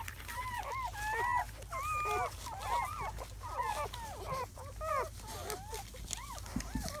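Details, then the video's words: Seven newborn German Shepherd puppies, four males and three females, in their first hours after birth on May 7–8, 2017, give a steady stream of overlapping high arched squeaks and whines, rising then falling, several per second. "The sounds of 7 newborn German Shepherd Puppies"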